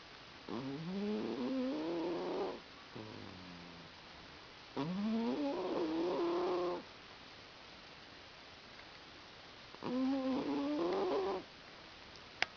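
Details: Sammie, a pet cat, snoring while asleep on a lap: three drawn-out, slightly rising tonal snores, each about two seconds long and spaced roughly five seconds apart, with quiet breaths between and a sharp click at the end.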